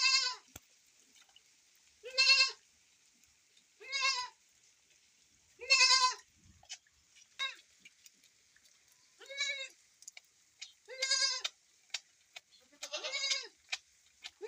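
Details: Goat milked on a rainy day, bleating in a steady series: about eight short, quavering, nasal calls spaced around one and a half to two seconds apart, with occasional sharp clicks and soft rain hiss.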